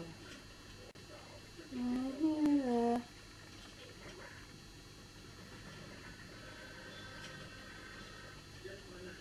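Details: Bengal cat indoors during the birth of her kittens: one drawn-out, low meow lasting just over a second, rising then falling in pitch, followed by quiet room hum and murmured encouragement before and after.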